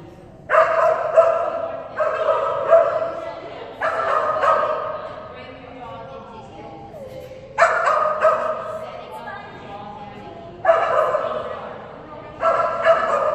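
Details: Phenix, a female Kerry Blue Terrier at an agility class on 11/12/2019 with a toy reward on contacts, barks in sharp bursts of two or three loud barks every few seconds, ringing with echo between bursts.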